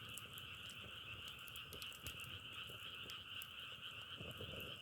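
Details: Short stretch of a frog chorus likened to crackling firewood: constant pulsing, buzzy trill on two pitch levels, with frequent sharp clicks popping over it.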